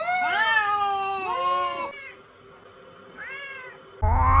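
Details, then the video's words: Domestic cat giving two quick, rising meows in succession, then a pause and a softer, arched meow, followed by a sudden louder noise at the end. "Sounds of cute cats: cat , cat"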